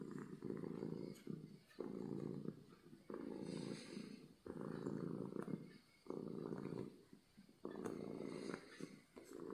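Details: Domestic cat purring from happiness, loud and low, in clear rhythmic bursts of about a second and a half, each rumbling stretch separated by a short quiet gap as the cat inhales, roughly forty cycles a minute.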